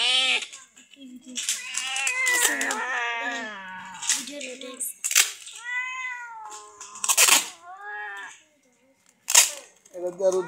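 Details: Sick domestic cat being given treatment by madrasa girl students indoors; a series of short, arched, rising-then-falling meows, several in quick succession, mixed with people talking and background music.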